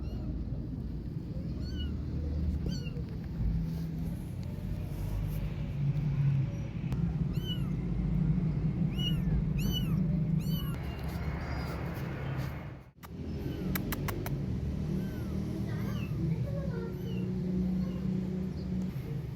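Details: Kittens playing outside, calling with scattered high arched meows over a steady low rumble of outdoor noise; a brief hush near the middle.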